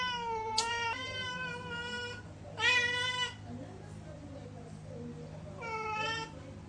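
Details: A domestic cat that wants a spider meows three times, each call rising then falling, with gaps of about two seconds between them. Soft Tagalog speech and a low hum run underneath.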